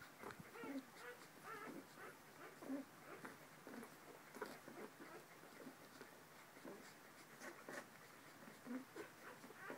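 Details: Corgi puppies 21 days old give soft, high squeaks and whimpers, several pups overlapping in irregular bursts; 19 August 2014.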